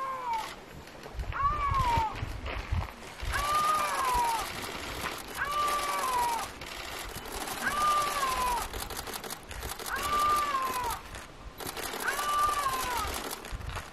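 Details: Male Iberian lynx giving his winter love call in the mountains of southern Spain, with dozens of photographers nearby: a series of drawn-out, moaning meow-like wails, each arching slightly then falling, repeated about every two seconds, with camera shutters clicking throughout.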